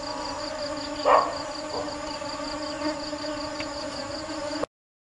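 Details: Bees diligently seek nectar with a constant low droning hum. A short louder knock breaks in near the start, and a faint rapid high pulsing continues underneath until the sound cuts off.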